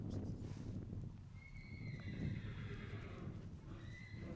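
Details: Four-year-old gelding horse, trail broke, descended from Let's Tango and Dock; a long clear whinny held steady then falling, followed by a second shorter whinny, over constant low rumble.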